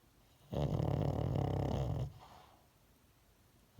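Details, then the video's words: Sleeping dog giving a single long snore of about one and a half seconds, a low rumbling, fluttering buzz with a rough rattle through it, then quiet breathing. "강아지 코골이"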